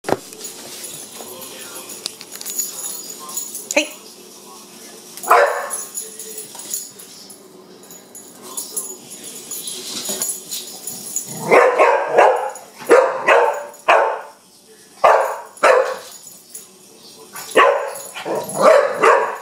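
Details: Young Pit Bull named Kenya reacting to a wind-up bug, giving sharp barks in irregular bursts, mostly in the second half, with quieter stretches, rustling and some speech earlier on.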